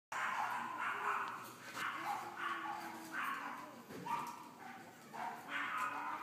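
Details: Whitish cream female French Bulldog puppy, born 19 May 2013 and eating weaning food well, gives a series of high, tonal whines and squeals about every second, each rising and falling, over steady room hiss.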